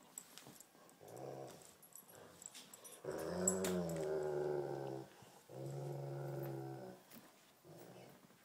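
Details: A Great Pyrenees and a Tibetan Mastiff tugging against each other indoors. Deep, rumbling growls come in bursts of half a second to two seconds with short pauses between them, along with light scuffling.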